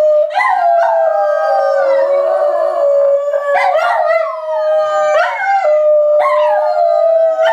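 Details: Three dogs, parent and offspring, howl in chorus: steady drawn-out tones with several voices joining in sharp rising onsets about every one to two seconds, layered and sustained throughout.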